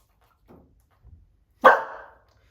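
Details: A rescued Chihuahua mix, during counterconditioning training, hears two faint taps from a very quiet knock on the wall and gives a single sharp, loud bark that tails off quickly.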